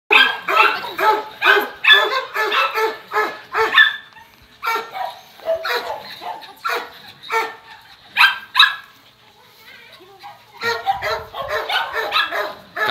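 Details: Thai Ridgeback, a 4.5-year-old male living in a shelter, meeting other dogs; loud rapid barking in bursts of several barks, pausing around five and ten seconds, then resuming, with a person speaking Czech to the dog.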